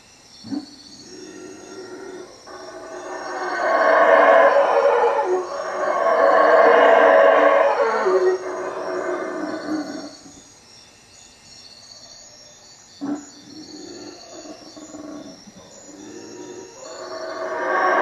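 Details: Howler monkeys calling at night from treetops around a hut by Lake Peten Itza, Guatemala: a deep, rolling roar swells and holds for several seconds, fades, then builds again, over a steady high insect drone.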